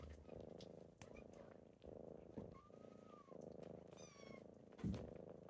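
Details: In the morning, kittens rouse their sleeping owner with a deep pulsing purr that rises and falls with each breath. A thin whistled tone drifts by midway, a brief high call comes near the end, and there is some rustling.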